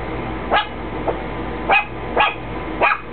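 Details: Chihuahua barking indoors at nothing apparent; four to five short, sharp barks spaced unevenly across three seconds, with steady low hum behind.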